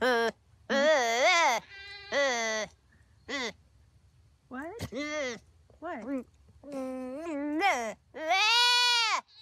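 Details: A baby goat gives a run of quavering, human-like bleats that rise and fall in pitch.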